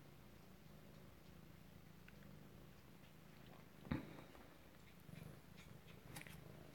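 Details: Alabama kittens at home, recorded close-up on 2/7/18, purring in a low, steady rumble that pulses gently throughout, with a sharp click near the middle and a few faint soft taps afterwards in a quiet small room.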